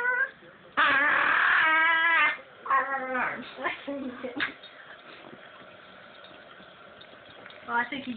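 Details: Dog making strange noises indoors: a loud drawn-out whining howl with wavering pitch, followed by shorter broken yelping whines, then a quieter stretch and a final rising whine.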